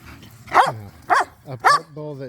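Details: Playful barking from pit bulls and a Malinois wrestling over a tug toy in a yard: three loud, clipped barks with ringing tails, followed by a steady tonal sound at the end.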